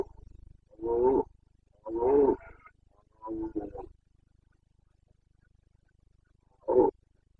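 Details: Wild Carpathian stag, a red deer of Bucovina's mountain forests, bellowing in the breeding season, 29 September 2022; four rough, groaning roars with strong harmonics, the first three close together, the last after a three-second pause.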